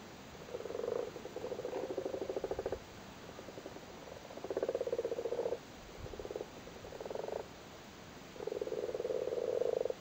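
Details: Big male frogs on their spawn in a flooded cattle grid in Cork, Ireland, at spawning time, give low purring rattles in bursts of one to two seconds, about five bursts in ten seconds, against a faint hiss.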